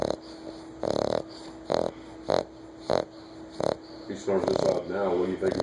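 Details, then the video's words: A 9-week-old American Bulldog puppy asleep, giving a run of short, raspy snores spaced under a second apart over a faint steady hum, then adult voices take over. "snoring puppy - 9 wk old Am. Bulldog"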